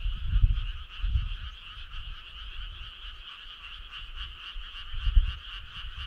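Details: Many frogs calling together on a summer night: steady, fast-pulsed trilling chorus held at constant pitch, with low thudding rumbles near the start, around one second and near the end.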